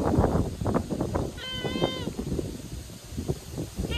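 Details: On a typhoon day, a stray calico cat cries sadly while climbing over the person filming. A clear, level, harmonic meow of about half a second is followed by the start of another, amid loud rustling and wind noise.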